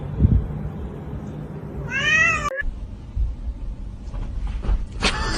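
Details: Pet cat gives a single clear meow, a short falling tone with rich harmonics, over a steady low rumble, with a faint second cry near the end.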